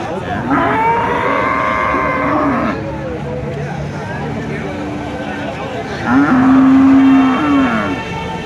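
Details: Cattle lowing at the Kuchiamora cattle and goat market, dated 26/5/2026: a long moo early on, then a steady, deep, flat moo lasting over a second toward the end, amid the constant hum of market voices.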